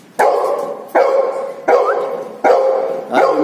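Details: Steady volley of five loud barks from a Golden Retriever, evenly spaced about every 0.75 seconds. Each bark starts abruptly, carries a ringing harmonic tone and then decays.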